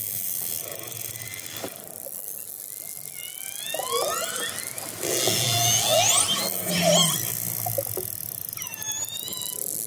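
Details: Orcas approaching a fishing boat give squealing calls with rising and falling tonal sweeps over a hiss of underwater noise.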